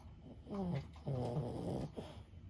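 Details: Sleeping senior Boston Terrier Lulu, aged 15, snores in a low, harmonic rumble: a short snore followed by a longer drawn-out one and a brief final snort, in a quiet room.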